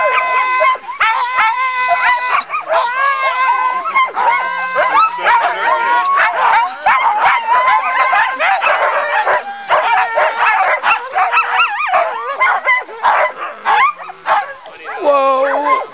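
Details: A pack of Siberian huskies, sled dogs about to run at Haliburton Forest and Wildlife Reserve, Ontario, Canada, howls, yips and barks together in an eager, overlapping chorus.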